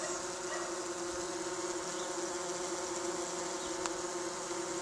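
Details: Several tree bumblebees at a nesting box in Cardiff, Wales, UK, on a hot 37°C day, give a continuous low, even-pitched droning hum with rich overtones, blending into one unbroken buzz.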